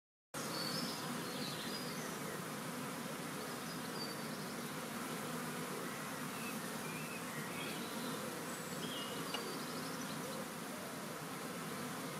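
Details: Huge honeybee swarm, part of one collected on World Bee Day 2019; a dense, continuous droning buzz from countless bees, steady in loudness after a sudden start, with faint higher whines of individual bees flying past.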